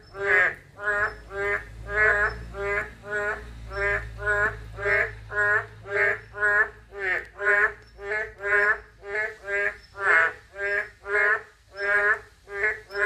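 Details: Narrow-mouthed toad calling steadily: nasal, harmonic croaks repeated about twice a second, roughly twenty-six in a row, with a low steady hum underneath.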